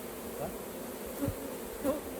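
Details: Bees swarming around a hive while raw honey is being harvested, giving a continuous low, even buzzing drone with a couple of short soft voice fragments over it.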